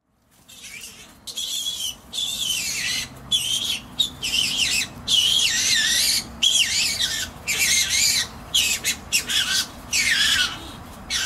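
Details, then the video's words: Skunks in a spat in a sparse hedge by a driveway, a persistent awful screeching that sounded like a bird or animal caught by a cat; harsh, high, wavering screeches in repeated bursts with short gaps, one after another. "Skunk Spat"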